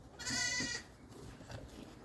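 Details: Gaarol sheep back in their shed after pasture, eating grain feed: one short, quavering, nasal bleat, followed by quiet background rustling.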